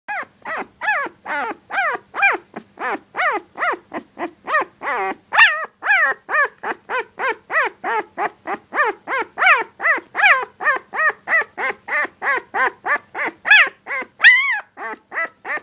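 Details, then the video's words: A 16-day-old puppy calls nonstop in short, arched, squeaky yelps, roughly two to three a second, each sliding up then down. The series briefly quickens and turns higher near the end, with a quiet room behind. "Puppy barking and growling"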